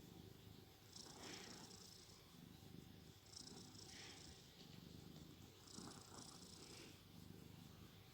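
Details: Shandy the cat snoring while asleep: a low, rough rumble with a breathy hiss on each breath, about every two and a half seconds, steady and unhurried.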